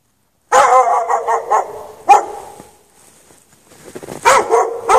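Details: Dog chained outside in the snow with no shelter for several hours on a March night, between 8 and 11:30 PM: a quick run of sharp barks, one loud isolated bark, a pause, then another burst of barking.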